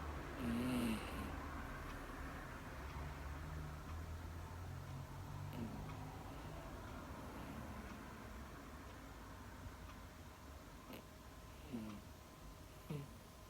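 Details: Female Miniature Dachshund that has just fallen asleep indoors, snoring: low rumbling breaths that swell and fade over and over through a quiet room, with a few faint clicks and ticks near the end.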